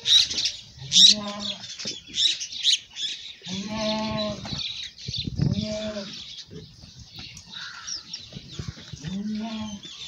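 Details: Village goats during milking, producing four drawn-out quavering bleats a few seconds apart, over a steady high hiss and occasional sharp squeaks and clatter.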